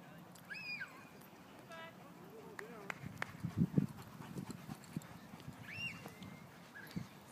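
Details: Three-and-a-half-month-old Siberian Husky puppy playing rough: two short, high, arched whining yips, with low growling and scuffling noises between them and faint human speech.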